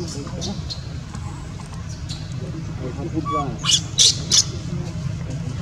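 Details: Newborn baby monkey crying while its mother does not care for it: soft whimpering notes, then three sharp, shrill screams in quick succession near the end, over a steady low hum and faint bird chirps.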